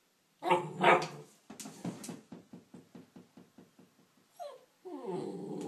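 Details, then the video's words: Neapolitan Mastiff x Pit Bull puppy barking at its reflection in a mirror: two loud harsh barks, then a rapid train of soft low grunting growls, followed by a rising whine and a longer moaning whimper-bark, indoors in a small room. "Puppy Neopolitian Mastiff x Pitbull bark"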